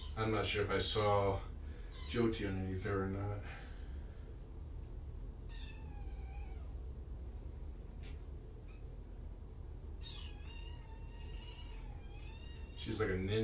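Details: Indoors at Purrfect Pals on 3 July 2017, one of five rescued kittens surrendered in Tacoma gives thin, high meows in two separate bursts. A person talks at the start and end, over a low background hum.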